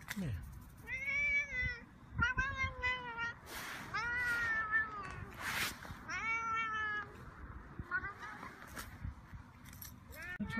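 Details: On the fourth day, a mother cat looks after and protects her babies; drawn-out, fuller meows, several level or gently falling, come in separate bursts, with a person's voice and clicks heard between them.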